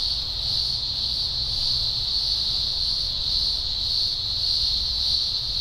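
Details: Dense chorus of green grocer cicadas at a large Blue Mountains emergence in early October 2020, thousands singing: an unbroken, piercing high-pitched drone with slow shifts in loudness and a faint low hum underneath.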